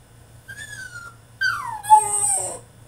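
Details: French Bulldog throwing a tantrum in his cage: two high whines, the first a steady thin tone, the second louder and sliding downward into a wavering cry, over a faint low hum.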